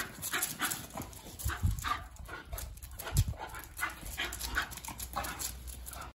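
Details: Miniature Bull Terriers Ragnar and Kodi in a play wrestling match; quick panting huffs and short throaty grunts repeat in rapid bursts, broken by louder bumps of bodies colliding.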